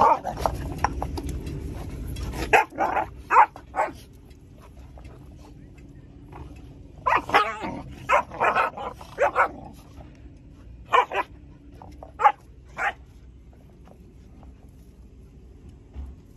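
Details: Two Rhodesian Ridgeback siblings, a male and his sister, wrestling roughly in play; sharp, short barks and growly bursts arrive in clusters around 3 seconds, 7 to 9.5 seconds and 11 to 13 seconds, separated by quiet gaps.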